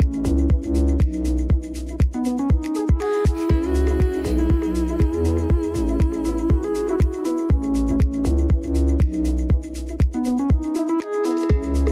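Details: Electronic dance music with a thumping regular beat and synth chords fills the whole stretch, no animal heard.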